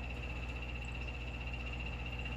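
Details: Captive yellow-banded poison dart frog calling in an indoor frog room; a soft, steady, high-pitched bird-like trill held through the whole stretch over a low constant room hum.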